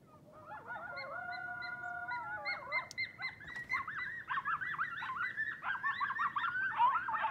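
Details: Coyotes calling as a band at night near a house. Long, steady drawn-out howls from several animals rise into a chaotic chorus of warbling yips and barks that grows louder and denser toward the end.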